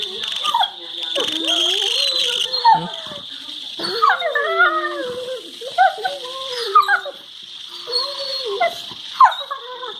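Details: A Labrador Retriever, one of two playing together and flashing their teeth at each other, gives wavering, whiny howls that slide up and down in pitch, like a dog 'talking'. Recorded February 2019.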